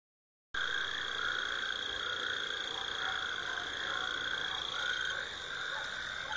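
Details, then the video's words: A dense frog chorus of steady trilling and croaking voices at the end of the winter rains in high temperatures, frogs calling together to attract mates. "Frogs singing"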